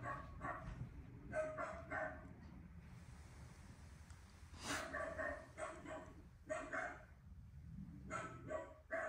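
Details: Indoor Miniature Dachshund in Auckland, New Zealand, captivated by television, giving a run of quick yapping barks in clusters, with brief pauses between bursts and a soft low rumble throughout.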